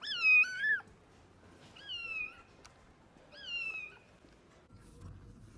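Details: Rescued stray kitten, abandoned and left freezing in the snow at -11°C for two days, gives three high, wavering meows spaced roughly 1.5 seconds apart, the first loudest, over a quiet background.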